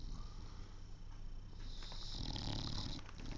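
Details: English Bulldog snoring while still awake, lying with one eye open and tongue out: a rapid, rattling low snore of irregular pulses that grows louder and breathier toward the end.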